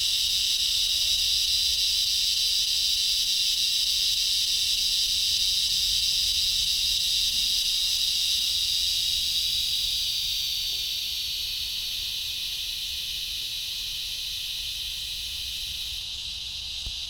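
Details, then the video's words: An unidentified insect in a front-yard tree gives a steady, loud, high, hissing buzz that fades slightly toward the end. "Strange insect sounds."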